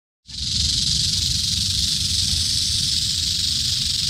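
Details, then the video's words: Eastern diamondback rattlesnake found in Central Florida, rattling its tail: a continuous, dense, hissing buzz, steady and unbroken after a brief silent start, with low rumbling handling noise underneath. "Eastern Diamondback Rattlesnake Rattling In 4K!!"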